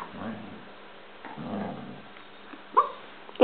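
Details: Two pet dogs at play, Chief a German Shepherd and Pepe a Basset-Lab mix, Pepe antagonizing Chief; low rumbling growls in two bursts, then a short sharp yelp, with a woman's voice nearby.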